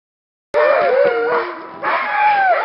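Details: Alaskan Malamutes from a working kennel, recorded in February 2012 around a short run. Several wavering howls start abruptly and overlap, gliding up and down, with one long, clear howl at the end.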